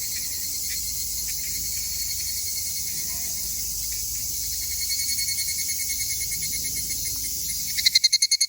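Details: Two male higurashi cicadas, possibly fighting. A steady high shrill drone holds throughout, then rapid metallic pulses appear and swell loudly near the end.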